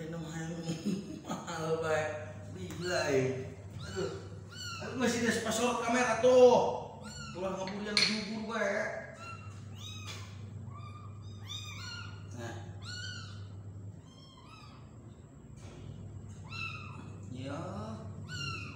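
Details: Tiny kitten being spoon-fed: human chatter dominates the first half, then thin, high mews follow one after another in short arched calls against a low hum.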